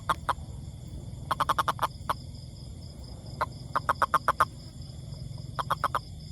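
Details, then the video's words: Toad producing bursts of five or six quick croaks, separated by pauses of about a second, plus a few single notes, against a low background hum. "Amazing Sound Toad"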